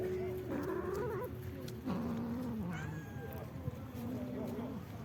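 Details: Street cat being fed, giving three drawn-out, wavering meows: a rising-then-falling first call, a longer sliding second one, and a shorter, softer final meow, with a steady low hum underneath.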